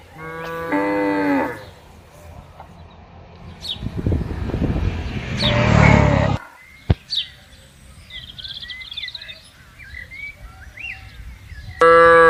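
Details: Cattle being herded into a farm pen, a long, deep, harmonic moo at the start and another at the very end, with a rumbling, noisy stretch between and scattered bird chirps in the background.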